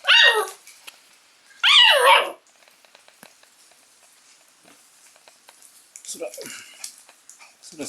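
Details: Shiba Inu puppy Sora amusing itself alone indoors; two loud, high, wavering yelps in the first two seconds, then quiet scuffling and a softer yelp near six seconds.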